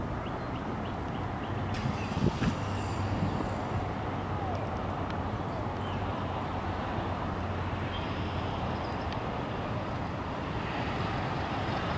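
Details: Steady low traffic rumble with a few faint clicks and brief murmurs, and no clear animal voice.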